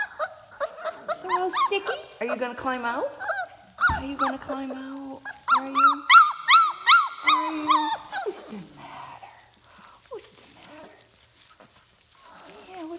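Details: Several four-week-old puppies from Teacher's litter call in a kennel, overlapping high yelps and whines in quick bursts, then a run of about eight evenly spaced squeals midway before fading into quieter whimpers.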